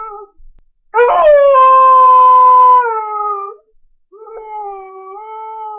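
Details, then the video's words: A dog cries with a sustained tonal wail lasting nearly two seconds. It ends in a falling tail, after a brief soft cry, and is followed by a quieter, steady whine. The recording is otherwise clean and silent. "Cachorro Chorando [ Incluso Som de choro de filhote de cachorro ]"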